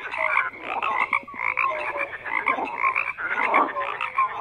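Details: Frogs croak in a busy overlapping chorus, harsh rattling bursts mixed with brief clear whistled notes, the volume rising and dipping every second or so.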